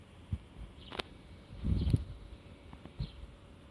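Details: Black Shiba Inu twitching its nostrils while sniffing: short, soft, puffy bursts of breath near the start, around one second, a denser cluster of snuffles around two seconds, and a last puff near three seconds, over quiet background.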